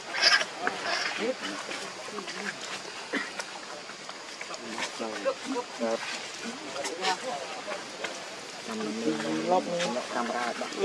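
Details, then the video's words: Newborn baby monkey named Leo, very hungry and sucking milk nonstop from its mother, gives repeated wavering, harmonic cries, longest and loudest near the end, over a busy background of other noises. "Pitiful Very Hungry Newborn Baby Leo Sucking Milk Nonstop"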